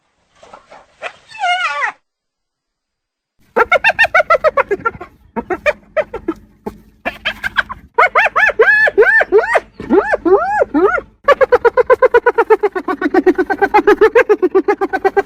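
A hyena gives its famous laugh: quick runs of high, bouncing yelps that rise and fall, about four notes a second. The giggling comes in bursts separated by short pauses.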